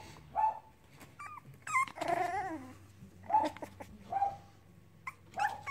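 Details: Cavalier King Charles Spaniel puppies at play make short whimpers and a wavering growly whine, with pauses between bursts and a faint steady hum in the room.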